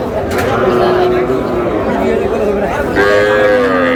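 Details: Small bulls and heifer calves at a Faridpur cattle market on 15 May, lowing in drawn-out harmonic moos, the last one rising and holding, over steady crowd chatter and people talking.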